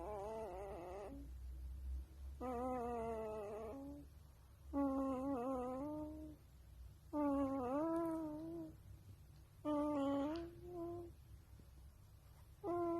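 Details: A wolf pup calls over and over in drawn-out, quavering whines that rise and fall like a small howl, each lasting a second or two and coming every two to three seconds, with a faint low rumble behind them.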